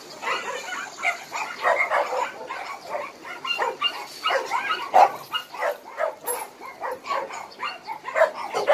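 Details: Many abandoned dogs at Hanna's shelter, a rescue shelter in Daegu, barking together: overlapping sharp barks and yips in constant, uneven bursts, with no pauses and a faint high hiss behind.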